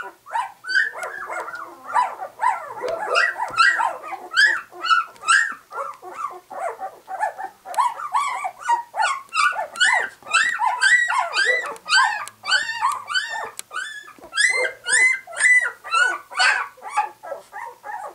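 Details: A litter of White English Cream Golden Retriever puppies at two weeks, just opening their eyes, keeps up a busy chorus of short squeaky whimpers and yelps, many pups calling over one another, about two per second.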